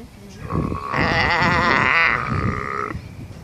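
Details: A sea lion pup on the Galápagos Islands calls for its mother's milk with one drawn-out, quavering, sheep-like bleat of about two and a half seconds that rises, holds and then fades.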